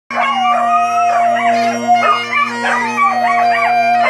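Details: Dogs howling along to bagpipes: wavering, drawn-out tones that slide up and down over steady bagpipe drones, with the pipe melody running beneath throughout.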